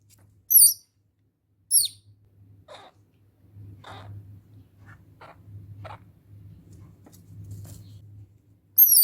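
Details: Young squirrel kept indoors in an enclosure, screaming because it is hungry and wants to be let out; three sharp high-pitched screams with rustling of bedding between.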